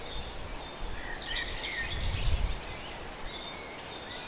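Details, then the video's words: In the Nagyerdő forest at Debrecen, a cricket gives a rhythmic series of thin, high chirps, about four each second, over quiet woodland ambience with a faint low murmur. "Tücsök vagy szöcske? - Hangfelvétel a debreceni Nagyerdőben"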